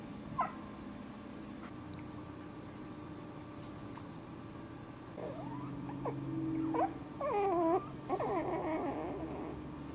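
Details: Four-week-old Cairn terrier puppies whine and squeal indoors. Wavering, bending high cries come in overlapping bursts through the second half, growing denser and louder toward the end, over a low room hum.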